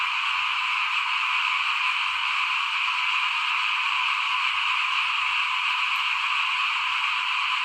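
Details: At rice sowing time in 2021, frogs call in front of a house as an uninterrupted, bright and dense chorus, with a low murmur faintly underneath.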